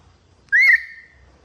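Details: Baby monkey crying: one short, loud whistled note that sweeps upward and then levels off, trailing away quietly over about half a second against a calm background.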